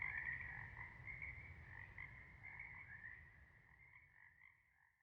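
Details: Frog chorus of many overlapping croaks, a dense trilling band with pulses repeating about four times a second, fading toward the end, with a low rumbling underneath.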